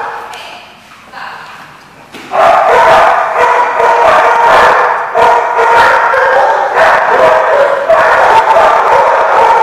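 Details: Dogs at The Barking Lot, recorded 11/7/14: after quieter noises, a loud, dense chorus of overlapping barks bursts in and continues in rapid, irregular volleys.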